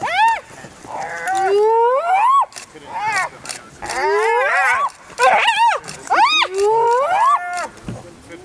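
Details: A young spotted hyena under relentless attack from an adult of the same clan: a dense series of loud, wavering whines and squeals sliding up and down in pitch, overlapping in quick succession.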